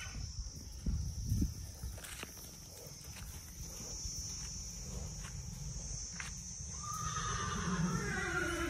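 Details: Indian horse near the end giving a whinny that sweeps down through layered tones, after several seconds of low rumble and scattered knocks. A steady high hiss runs throughout.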